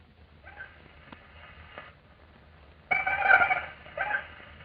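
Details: Two single male Anopheles mosquitoes respond to a recording of a female's mating call in a 1945 recording, with a thin, buzzing whine that swells suddenly louder.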